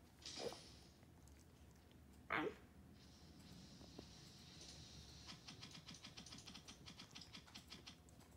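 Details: A 3-month-old Corgi puppy gives two short, sharp yipping barks to get the attention of another dog chewing a rawhide.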